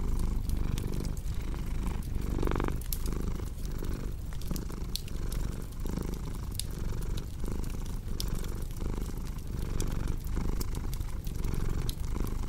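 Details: Domestic cat purring steadily in a low, rumbling rhythm that swells with each breath, roughly once a second, over the sharp pops and crackles of a cozy fireplace, set as a relaxing sleep soundscape.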